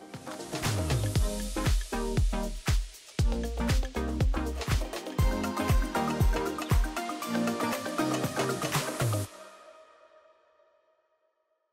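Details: Upbeat electronic dance music with a thumping beat runs for about nine seconds, then fades away into silence, and no animal sound is heard.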